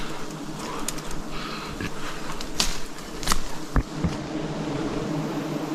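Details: Forest bees buzzing as wild honey is harvested: a continuous low droning hum, broken by a few sharp knocks and handling noises.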